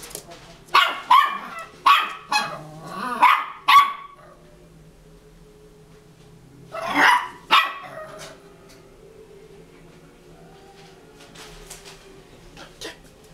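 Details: Cairn Terrier puppy, two and a half months old, showing its bravery: a quick run of sharp, high yappy barks in the first four seconds, then two more loud barks after a pause, and quiet rustling near the end.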